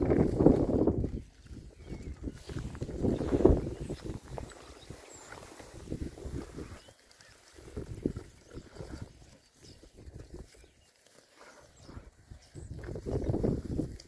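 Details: Rare-breed Oxford Sandy and Black pigs, a group of six boys out on a winter forage between storms, give loud, rough grunting bursts roughly every two to three seconds, separated by quieter snuffling gaps.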